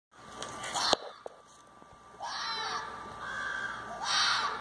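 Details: Red fox confronting a groundhog, giving three harsh, raspy, rising-then-falling calls in quick succession in the second half, after a few sharp knocks early on; a faint steady tone runs underneath throughout.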